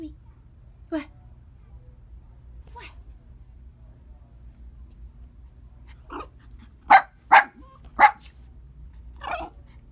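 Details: Merle male Yorkie puppy giving a few soft yips, then three sharp high barks in quick succession near the end followed by one more, over a low background hum.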